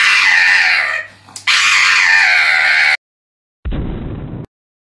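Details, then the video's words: Pug at the vet screaming during nail clipping, a loud, sustained, harmonic human-like wail of about three seconds, breaking briefly and resuming, followed by a short burst of lower noise. "Dramatic Pug Dog Scream at Vet while Getting Nails Clipped"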